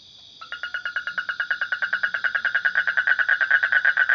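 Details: Frog giving a rapid, mid-pitched pulsed trill of about eight pulses a second, growing steadily louder across four seconds, over a faint steady insect hum.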